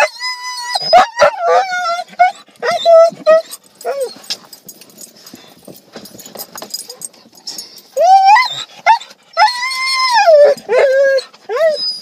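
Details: Siberian Huskies worked up on arrival at a dog park, giving loud, drawn-out whining howls that rise and bend down, in bursts separated by short pauses, with a person's voice in between.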